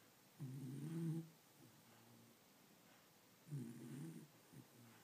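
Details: Pet dog asleep and snoring, said to snore like a human: two deep, rough, rumbling snores about three seconds apart, each lasting under a second, in a quiet indoor room.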